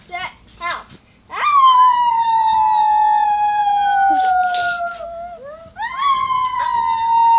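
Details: Dog howling, played to set off other dogs howling; after a few short yelps comes a long, smooth howl that slowly slides downward, then a brief pause and a second howl rising then easing off.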